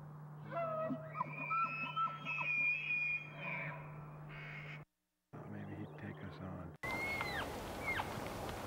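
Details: Bull elk during the mating season giving long harmonic bugling tones that climb and hold high, with layered overtones, then a separate rising whistled note near the end over a steady low hum.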